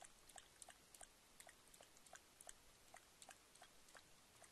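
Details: Adolescent mountain lion drinking at a stock trough on MPG Ranch, Bitterroot Valley, Montana, recorded 31 October 2010; quiet, rapid lapping clicks about three per second, fairly even, against faint background hiss.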